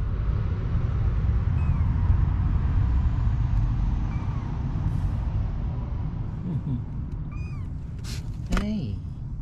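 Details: Stray kittens 25 days old, three born to a mother cat at a neighbourhood car shop in Japan; a few short, high, arching meows near the end over steady low traffic rumble and a man talking.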